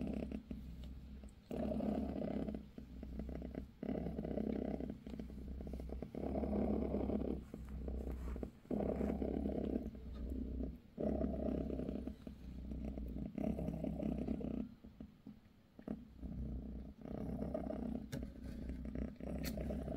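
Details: British shorthair mother cat Bassy purring while giving her kittens a massage; low rumbling purr in rhythmic bursts roughly every second, with short breaks and a steady low hum beneath.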